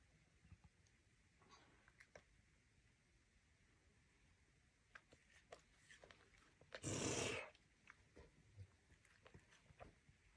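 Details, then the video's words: A serval cat eating raw meat hisses once in a short, loud, breathy burst of broad noise. The hiss is surrounded by quiet chewing and small clicks in an indoor room. "SERVAL CAT EATS RAW ❗️❗️❗️ Hisses in the end"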